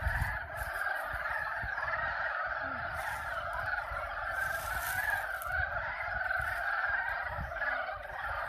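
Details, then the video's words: A dense spring chorus of frogs giving mating calls at Yulgok Arboretum pond, South Korea, blending into one steady, throbbing wall of sound. "개구리 짝짓기 울음소리(율곡 수목원 연못) Frog mating calls (Yulgok Arboretum Pond)"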